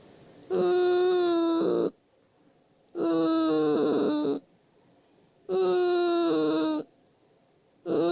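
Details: Elderly male poodle asleep, making an odd tonal snore: drawn-out whining wheezes with rich harmonics, each about one and a half seconds long and returning roughly every two and a half seconds, separated by quiet pauses.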